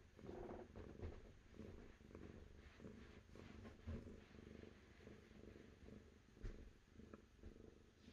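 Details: Low, rhythmic purring from a cat, pulsing in repeated breath-length waves roughly every second, with a few soft clicks and a muffled background rumble.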